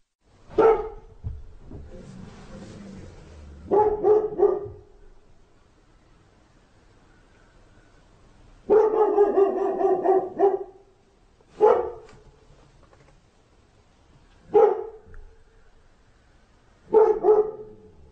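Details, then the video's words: A dog barking in separate bursts: a two-second run of rough barks, a longer barrage near the middle, then single sharp barks spaced a few seconds apart, with quiet gaps between. "GERÇEK KÖPEK HAVLAMASI"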